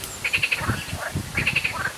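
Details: Frogs hidden in the reeds of small ponds at L'Isle-Adam, Val-d'Oise, France, call in quick bursts of high, pulsed notes about once a second, where ducks live and tree pollen is falling.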